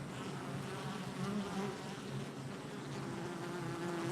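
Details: Honey bees at a hive entrance on July 22nd, 2024: a continuous, dense hum of many wings with steady low droning bands and overlapping buzzes that rise and fall slightly, without pause.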